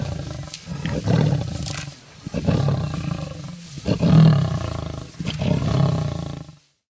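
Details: Lionesses fighting over a bushbuck kill in a tree, elephants nearby, at a reserve bordering Kruger National Park; deep rumbling growls repeated in four or five heavy bursts, then sudden silence.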